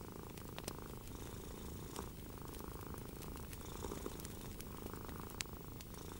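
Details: Cat purring softly through a relaxing evening next to a crackling fire, the deep even rumble steady from start to finish, overlaid by intermittent bright snaps of burning logs.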